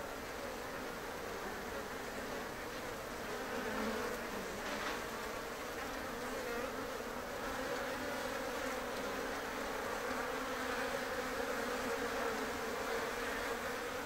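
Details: Colony of Japanese honeybees housed in an observation hive under a shed ceiling in Japan: dense, even humming drone that swells slightly midway and holds steady for the whole stretch.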